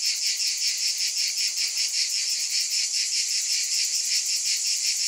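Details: A wall of cicada sound: sharp, high buzzing from many insects at once, pulsing rapidly and evenly without any pause.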